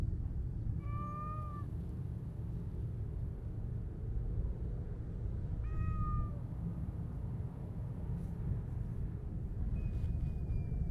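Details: Siamese mix cat, a stray enjoying being petted and showing its tail: two clear, level, tonal meows about five seconds apart, then a faint thin high cry near the end, over a constant low rumbling background.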